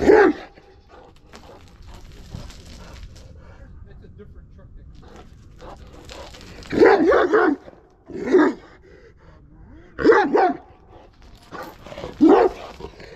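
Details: {'caption': 'Kangal dog in an aggressive mood, giving loud, rough barks at irregular intervals of one to two seconds, separated by quieter background voices and shuffling.'}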